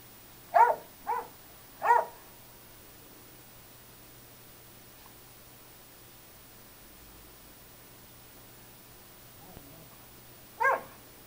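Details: Indoor play between a five-month-old Bernese Mountain Dog puppy and a 16-year-old mixed-breed dog. Three quick high yapping barks come in the first two seconds, then a long quiet gap and one final bark near the end.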